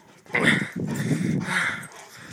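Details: Two English Mastiffs play fighting, battling like lions; rough, throaty growls with snarling bursts rise abruptly and run for about two seconds, with a brief higher-pitched yelping note near the start.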